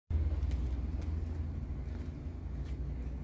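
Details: Low rumbling road traffic and engine noise outdoors in an urban setting, with no animal sound heard.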